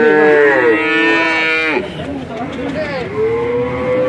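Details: A male calf, about five to six months old, in Grabag, Magelang regency, Indonesia: a loud, level moo that drops sharply at the end, a quieter pause, then a new moo that rises gradually.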